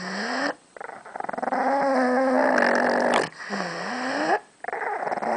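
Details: Pug named Gidget growling while guarding a bone she was given, a rough, harmonic rumbling growl with whining rising and falling tones, in sustained bursts broken by brief pauses.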